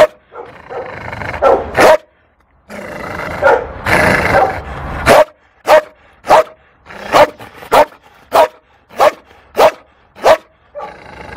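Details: Fearful female Malinois at an SPA animal shelter in Toulouse, April 2014, giving a run of sharp, harmonic barks about every half second after a few scattered opening barks and rustling noise.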